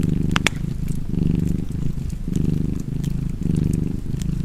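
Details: Low, buzzing purr of a relaxed cat near a fireplace, pulsing through alternating in-and-out breaths about every second, with a few loud wood pops near the start and lighter crackling later.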